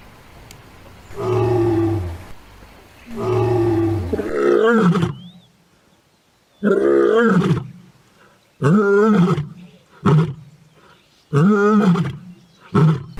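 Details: Adult lioness roaring: two long, deep, drawn-out moans, then a series of powerful shorter roars and grunts spaced about two seconds apart, fading in length toward the end; no other sounds.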